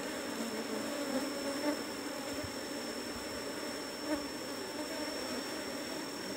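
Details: Asian honey bee colony droning inside cultivation box 17 as the hive is closed up after honey harvest; even, unbroken low buzzing with a high steady whine and scattered soft handling knocks.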